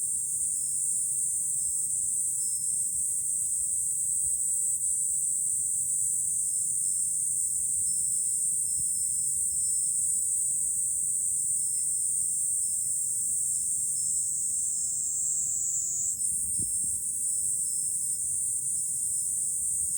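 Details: Cicadas in July over Fukuoka City, Japan, heard from an elevated lookout: an even, ringing high-pitched drone lasting the whole twenty seconds, dipping briefly and rising again near the sixteen-second mark.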